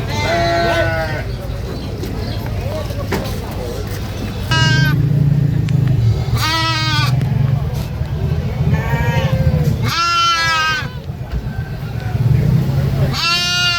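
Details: Goat screaming: four loud, harmonic, wavering bleats spaced a few seconds apart, each about a second long, over a steady low rumble and background murmur.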